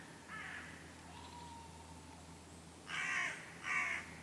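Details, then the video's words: Red squirrel at Lake Kallavesi, Kuopio, Finland, 23 August 2015, vocalising just after a goshawk attacked it, unharmed. A brief rasping burst is followed by a quiet pause, then two loud, harsh, grating bursts close together near the end. "Squirrel makes noises after goshawk attack"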